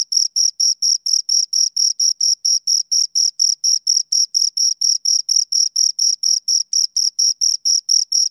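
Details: Continuous shrill chirping of two crickets, rapid regular pulses at just over four a second, each a brief buzzy scrape with a faint high overtone, in otherwise quiet surroundings.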